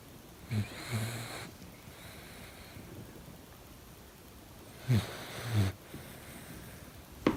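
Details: Two-month-old male German Shepherd puppy named Picasso, asleep, snoring: soft low breathy snorts in pairs, one near the first second and another near five seconds, with quiet hiss between and a brief click at the end.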